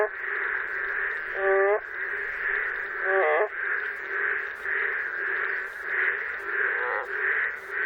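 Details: In Korea, a boreal digging frog gives short, nasal, cracking, hoarse-sounding calls that break in pitch, over a steady chorus of other calling frogs.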